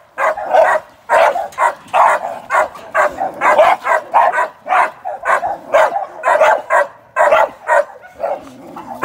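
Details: Young American Staffordshire Terrier sporting dog in training, being worked ahead of ADBA shows and sporting events, barking in a steady run of loud, sharp, mid-pitched barks, roughly two per second, with brief gaps and little else audible.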